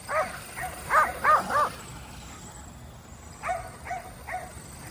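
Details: Five Kerry Blue Terriers chasing a remote-control car during exercise at home; a rapid run of four shrill barks, a pause, then three more evenly spaced yips over low background noise.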